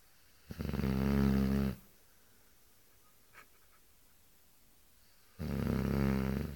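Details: Female Cane Corso, eight months old, snoring loudly like a lumberjack; two long, deep, rattling snores over a second each, separated by a nearly four-second quiet pause with one faint soft click between them.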